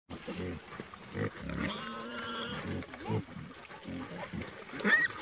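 Wild boars squeal and grunt in short, harsh bursts, with one drawn-out, wavering squeal.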